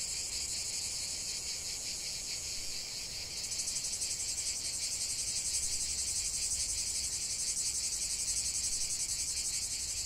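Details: Shrill cicada chorus outdoors, a hissing drone that rises noticeably in strength midway and then pulses fast and regularly, like a rapid throbbing rattle, with no other animals or voices.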